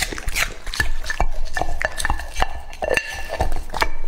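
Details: Two-and-a-half-year-old English-type Labrador Retriever named Lucky eating raw meat: wet chomping and smacking in irregular bursts, with clinks of a dish between bites.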